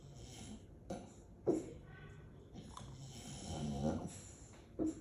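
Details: A female English Bulldog asleep in Aliso Viejo, California, on December 18, 2022, snores heavily and gives a couple of soft, muffled woofs; her owner says her tummy was barking too.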